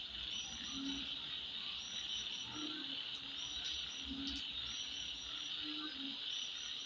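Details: At midnight, insects keep up a constant high-pitched whirring chorus; a few soft low croaks surface every one to two seconds, with light chirps above.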